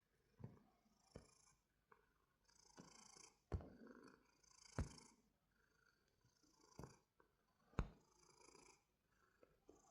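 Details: A cat purrs softly, a low rumbling pulse rising and falling with each breath, broken by sharp clicks and thumps from handling close by.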